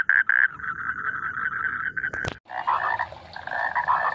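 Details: Frogs in rice fields croak in short, hoarse bursts. A sharp click or knock briefly breaks in, then a denser mix of overlapping croaks continues.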